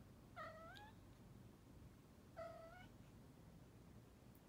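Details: Domestic cat, one of two males, a Bengal and a Munchkin, kept indoors and sleeping at night in a closet room believed haunted. Two drawn-out meows about two seconds apart, each bending upward then falling, over a low indoor hum.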